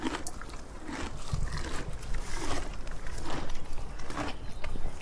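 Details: Eating donkey heard as loud, gritty crunches and rustling, with bursts of chewing closely packed, plus a deep thud near the start and low background rumble.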